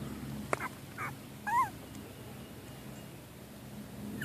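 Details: Cavalier King Charles Spaniel puppies, 25 days old and barely walking yet, give brief, thin whines and whimpers over a quiet background.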